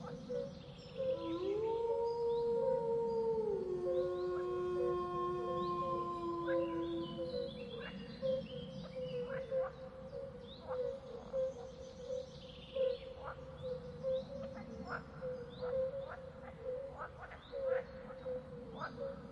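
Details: Wolf giving one long, smooth howl: it rises, holds steady, then slides down to a lower sustained note lasting about six seconds. Afterwards come scattered bird chirps over a steady humming background tone.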